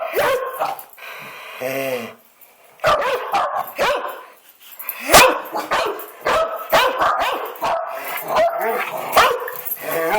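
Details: Rudy, a pet dog, barking: a rapid run of loud, sharp barks and higher yips in quick bursts, with brief pauses, filling the recording.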